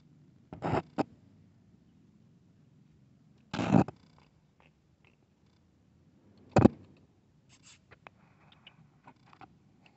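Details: Kitten playing with a big cat: a continuous low, even purr hums underneath, interrupted by three loud bursts of handling or scuffling noise and a few faint clicks toward the end.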